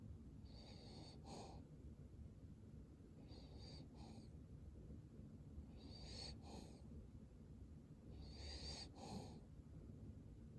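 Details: Sleeping Cavalier King Charles Spaniel snoring in four slow breathy wheezes, each with a whistling, hissy edge, spaced roughly two to three seconds apart against a low background hum.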